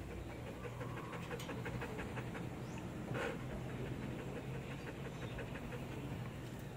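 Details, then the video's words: Belgian Malinois waiting to be fed on command, panting in a soft, fast run of airy breaths, with one brief louder noise near the middle and low background hum. "this is how I feed my Belgian malinois dog"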